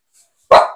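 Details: Aspin, a Filipino native dog, at bath time: one sharp, loud bark after near silence, bright and short, fading over about a third of a second.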